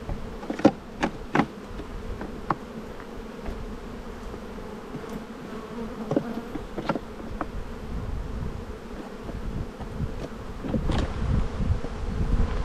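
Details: Spring buildup at a honey bee colony during a hive inspection, the black hive full of brood. A continuous low, even hum holds throughout, broken by scattered clicks and taps of handling that grow busier near the end.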